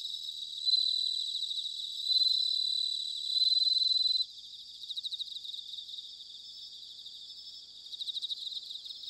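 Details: Bell cricket singing in autumn, recorded in Sanuki, Chiba, Japan: high, bright ringing trills held for about a second and a half, repeated several times, then fading into softer pulsed chirping from more distant crickets.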